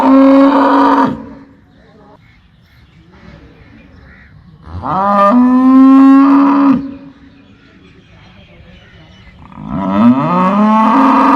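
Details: Cow mooing three times, each loud, drawn-out moo lasting one to two seconds and separated by several seconds of quiet; the voice is deep and rich, with a rising start on the second and third calls.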